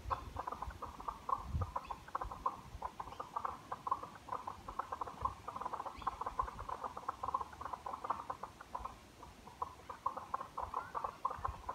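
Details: Frogs calling along a forest walking trail through vegetation, a dense chorus of short, rapid pulsed notes repeating continuously throughout, with low rustling and thumps underneath.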